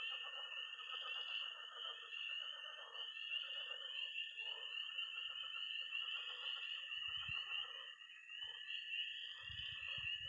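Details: Missouri pond at night in early spring, tree frogs, toads and frogs in full chorus: constant high-pitched peeping over a lower trill and dense croaking, with brief low knocks late on.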